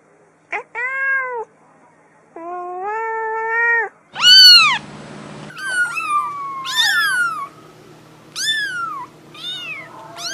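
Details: Kittens meowing in varied calls: flat sustained meows early, then louder, higher, arched and overlapping cries from several kittens, one brief burst of noise in the middle.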